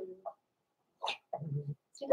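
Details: Blenheim Cavalier King Charles Spaniel puppies, born November 14, 2022 to Pom-Pom, in an indoor puppy pen before Christmas: short separate yips and barks, one with a low rough rumbling tail, ending in a louder bark.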